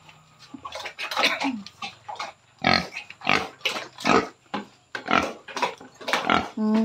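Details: Grunting from a sow 112 days into gestation, close to giving birth: a quick run of rough, clipped grunts, then louder spaced grunts almost every half second, ending in a higher tonal squeal, with a steady background hum.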